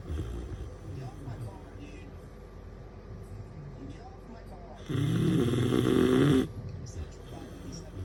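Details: A female bloodhound puppy lets out one loud, rasping snore over quiet, low breathing.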